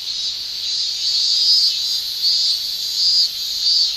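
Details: Male cicadas shrilling in a Japanese summer, sound made by their tymbals: a loud high-pitched buzz that pulses in brief louder surges roughly every three-quarters of a second over a constant drone.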